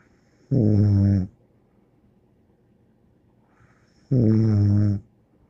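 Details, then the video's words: Bear, a dog, snoring: two low, rumbling breaths with strong harmonics, each lasting under a second and spaced about three and a half seconds apart, in a quiet indoor setting. "More angel Bear Snoring"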